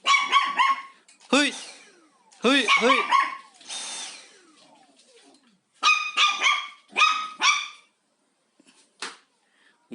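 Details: Pet dog Haengbok confronting a vacuum cleaner indoors, interested yet afraid: clusters of shrill barks interrupted by a human voice and gliding falling tones, ending with a few scattered yaps.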